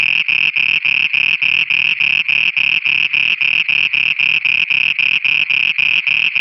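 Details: Frogs singing at night in Pakistan: a fast, even train of buzzy, mid-high pulses, about three and a half per second, each with a faint low throb beneath, running steadily throughout.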